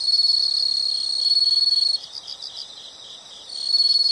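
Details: High, shrill insect trilling from a nature recording, loud and buzzy with quick rhythmic pulses, easing into softer beaded chirps midway before the strong trill resumes.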